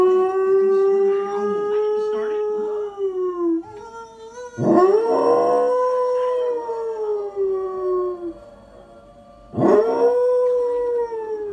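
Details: A dog howling: three long, tonal howls, each rising sharply at the start, then holding steady and slowly falling, rich in overtones, with a brief gap before the last howl.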